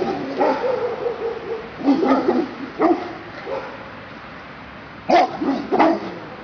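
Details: Perro de Presa Canario, also called dogo canario, giving several deep, hoarse barks spaced unevenly, with a longer broken bark near the start and two sharp barks close together near the end.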